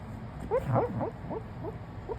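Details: Female dog in deep sleep, seemingly dreaming, making soft squeaky whimpers: a run of short rising yips about every quarter second, faint and high, over a quiet room hum.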